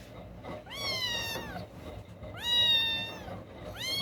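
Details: Newborn kittens, three with eyes still closed, crying while one searches for its mother's milk, recorded indoors on a Saturday night: two loud, high rising-then-falling mews with rich harmonics, about a second and a half apart.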